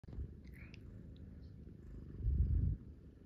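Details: A kitten or cat purring indoors in the morning while lying in bed and being stroked; a low, soft rumbling purr throughout that swells louder near the end, with faint rustling.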